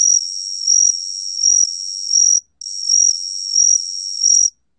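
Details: Gaksi cricket (각시귀뚜라미), 2020 National Institute of Biological Resources recording: two long continuous high trills, each pulsing louder roughly every second, split by one brief pause, with no other sounds.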